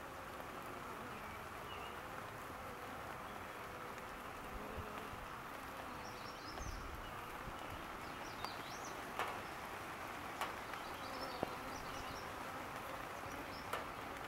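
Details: Farm honey bees flying on a rainy day, their droning hum rising and falling in pitch over constant rain hiss, a few soft taps and distant high bird chirps scattered through.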